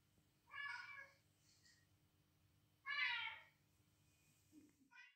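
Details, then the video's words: Female cat responding to recorded meows of unknown cats, defending her territory; two loud, strained meows roughly two seconds apart, followed by a soft brief chirp and a short faint sound at the end. "best cat reactions to cat calls"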